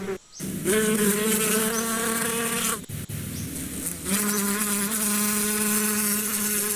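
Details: A swarm-like hum of bees, meant for meditation and destressing, holds a strong continuous buzz with bright harmonics, dipping briefly in the middle before swelling again as a bee passes close.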